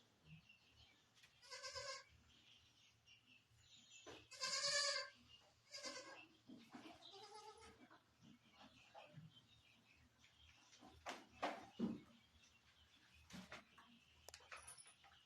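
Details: Barbari goat at a farm in Sultanpur around delivery time, giving a few quavering harmonic bleats spaced several seconds apart, faint against a low steady hum and scattered clicks and knocks.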